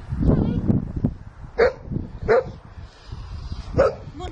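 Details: Sussex Spaniel named Shelly at play with her owners and another dog, Monty; three short, sharp barks spaced about a second apart, with a woman's voice talking over the opening moments.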